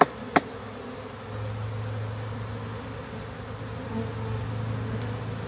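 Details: Honey bee swarm in a backyard being captured for a new hive: a steady low droning hum with a faint wavering tone, a sharp click near the start, and slight rises in loudness midway.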